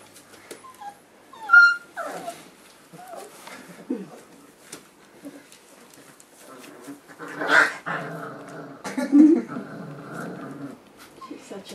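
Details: Boerboel pups four weeks old with their mother Aston, indoors among other dogs; high thin whimpers and squeaky yelps rising and falling, several loud sharp yelps near the middle and later, soft human speech in between.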